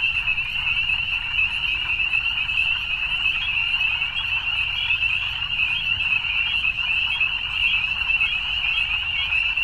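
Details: Dense evening frog chorus, countless overlapping high trills forming a constant buzzing shimmer, level and unbroken for the whole stretch, no other sounds standing out.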